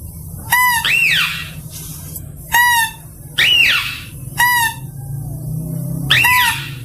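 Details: Mouse-deer call used as a lure: sharp, clear squeals, each a short level note followed by a higher, arched note that rises then falls. About five calls come roughly every two seconds over a low background hum.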